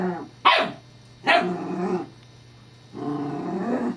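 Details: Scottish Terrier Evangeline playing with her new teething pacifier toy: two sharp barks less than a second apart, then a drawn-out rumbling growl near the end, over a steady low hum.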